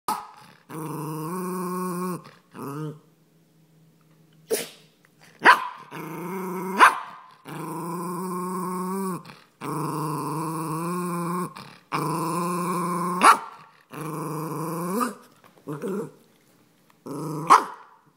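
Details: A Cairn Terrier gives long, drawn-out growling moans with sharp yips between them, vocalizing while its owner is on the phone booking its boarding, and seemingly unhappy about it.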